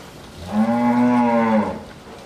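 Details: A bull at a dairy farm in Bhangura, Pabna, Bangladesh, lows once with a steady, deep, rich moo lasting about a second, rising slightly in loudness and then fading.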